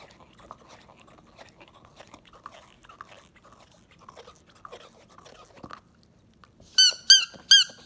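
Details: Akita puppy named Montaro, about three months old, filmed 19 October 2018 while eager and unable to wait for his food. Soft rustling and scraping give way to three loud, short, high-pitched whines in quick succession.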